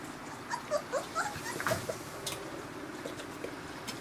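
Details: Several 22-day-old Newfoundland puppies having their first meal of formula from a dish, with their mother nearby: faint, high, squeaky whimpers and brief yips scattered over the first two seconds, amid soft lapping and shuffling noises indoors.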